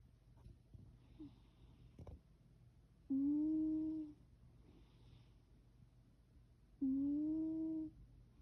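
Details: Orange pet cat making a weird sound while sleeping indoors: two drawn-out, level, hum-like moans about a second long each, nearly four seconds apart, over low room hum with a few soft knocks.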